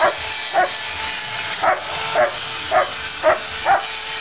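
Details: German Shepherd during rough play; short, clipped barks or yelps repeated roughly every half second to a second over a steady broadband hiss and a faint constant hum.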